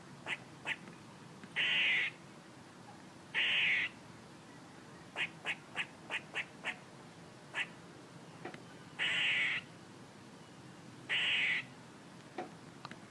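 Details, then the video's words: Squirrel calling with scattered quick chirps, sometimes in fast runs of three or four, and four drawn-out rasping buzzes spaced a few seconds apart. "A squirrel making noises"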